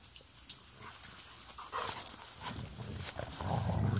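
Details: Golden retrievers wrestling at play outdoors after the older dog comes out: soft low growly grumbles and breathy bursts that build in loudness toward the end, with scuffling.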